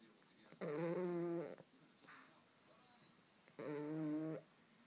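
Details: Pug deep asleep and dreaming, eyes seemingly open, makes two long groaning, tonal snores of about a second each, spaced roughly three seconds apart, with a faint snuffle between them.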